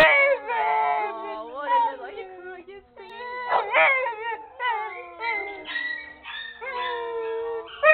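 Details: Brown male Pit Bull held in a shelter kennel, 'singing and talking': a run of drawn-out, wavering howl-like yowls with rich overtones, several sliding downward in pitch, broken by short pauses and rising again.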